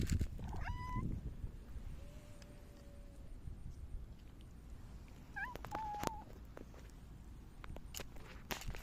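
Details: Rubbing affectionately against someone on 29 August 2024, a silver tabby cat gives a short bent meow, then, after a pause, a quick chirp and a sustained, slightly wavering meow, amid light tapping and rustling.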